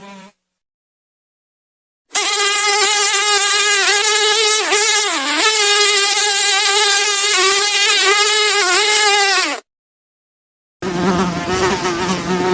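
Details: Buzzing fly in a loud, higher-pitched whine that wavers up and down as it moves, running about seven and a half seconds between silent gaps, then resuming briefly at a lower pitch.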